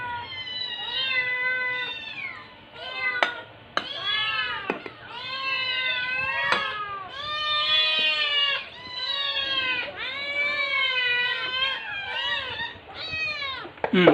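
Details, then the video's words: Rescue kittens, around 6-8 weeks old, under foster in Metro Manila, meowing in a barrage to beg for food at lunch: dense overlapping high meows, many rising then falling, almost continuous with few pauses, faint dish clatter. "New Rescue Kittens Making Noise Barrage For My Lunch"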